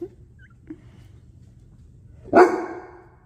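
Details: Seven-month-old Bullmastiff puppy, startled by a deer antler indoors, gives a single loud, deep bark after near silence, with a rough tail that dies away over half a second; a few faint knocks before it.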